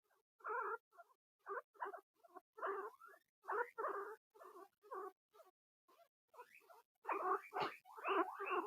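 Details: Two pet guinea pigs squeaking indoors because they hear another guinea pig getting attention: a steady series of short squeaky bursts, roughly one per second, growing louder and longer toward the end.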